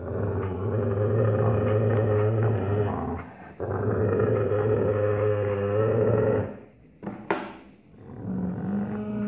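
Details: Alaskan Malamute puppies growling: continuous low rumbling growls with a warbling, vocal edge, broken by short pauses, plus a brief scuffle or thump near the end.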